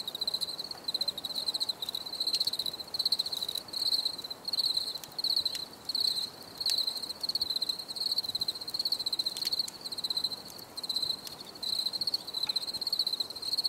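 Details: High, shrill cricket chirps in a relaxing nature recording, grouped into rapid trilled pulses about every second, with some sharp clicking noises and a low steady hiss.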